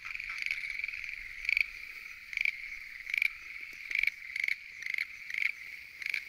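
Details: Lotus pond at night alive with Schlegel's green tree frogs, a constant trilling chorus punctuated by louder rattling bursts every half second to second.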